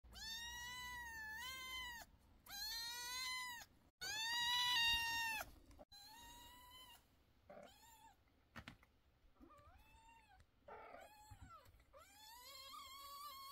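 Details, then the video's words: Kittens meowing loudly and insistently: a series of long, harmonic, slightly wavering cries, several in close succession with short pauses, the later ones quieter and more broken, ending in a rising, louder wail. "Kittens meow so loudly that the whole family is worried"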